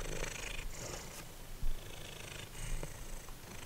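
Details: Simba, a formerly feral house cat, purrs while eating dried minnows; a low, steady rumbling purr runs throughout, with a few soft crunching and licking sounds over it.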